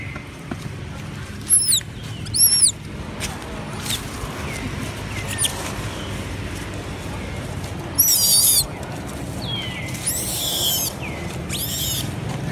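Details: Several hungry monkeys crying loudly for food: brief high, thin squeaking cries in pairs, then a harsh shrill scream near eight seconds and wavering, falling squeals later, over a steady low rumble.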